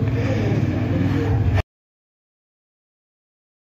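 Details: A low, steady rumble like a running vehicle lasts about one and a half seconds, then cuts to silence.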